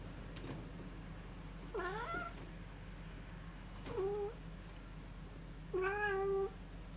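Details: Two Munchkin cats in Kyushu, Japan, excited by falling snow, more than they had seen before: three clear, rising-then-falling meows spaced about two seconds apart, the last longest, over quiet background hum.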